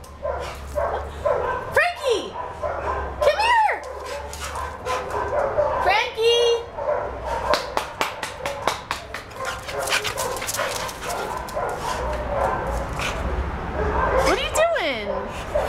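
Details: Frankie, a young neutered male brown and white American Staffordshire Terrier mix of about 60 pounds, at a shelter, gives a few high, arching whines spaced seconds apart, with a woman talking to him, claws clicking on the floor, and background noise.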